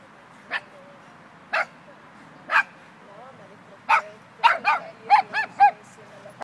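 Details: Dogs, an Irish Wolfhound and a Dogo Argentino: single sharp barks about once a second, then a faster run of four or five barks, with a person speaking faintly underneath.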